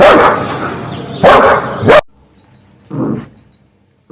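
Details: Dog barking in several rough, noisy barks, three close together and then one softer bark after a pause.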